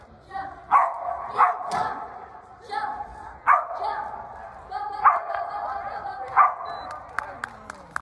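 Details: Bean, a toy poodle, barks during a standard agility run recorded 9-21-2020: high, ringing yips spaced one to two seconds apart, some in quick pairs, then a few sharp clicks near the end amid people's voices.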